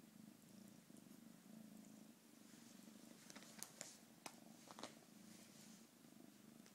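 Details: Cat purring in a low, even rumble with rising and falling breaths, while sharp clicks and rustling handling noises cluster in the second half.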